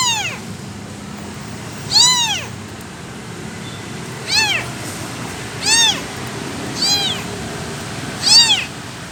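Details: An abandoned kitten cries for its missing mother: five or six short, high-pitched arched mews at uneven intervals of one to two seconds against a faint background hiss.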